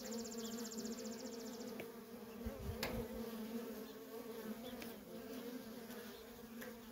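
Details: Nonstop worker honey bee traffic at a feral colony: a steady, even drone with a faint, high, rapid ticking trill at the start and a couple of soft knocks.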